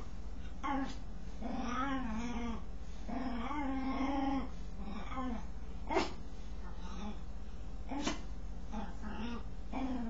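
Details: Strange noises from a dog while it scratches itself: warbling, arched whining moans in irregular bursts. Two sharp clicks stand out, likely from the scratching, over a low background hum.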